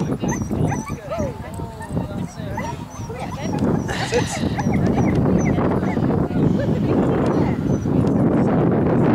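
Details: Siberian Huskies at a fun dog show during Huskycamp 2013 give high, wavering whines and short yips, rising and falling in pitch, over steady crowd chatter and people talking throughout.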